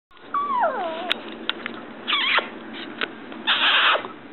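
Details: Small Yorkshire terrier indoors giving high, harmonic whines that slide downward, several overlapping in the first second, then short bursts around two and three and a half seconds, with faint clicks between.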